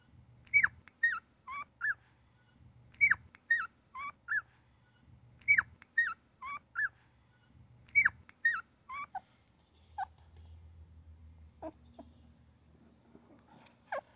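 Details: Newborn puppy giving little squeaks, almost chirps, in tight bursts of four or five short high notes repeated about every two and a half seconds, then a few scattered squeaks over a low hum.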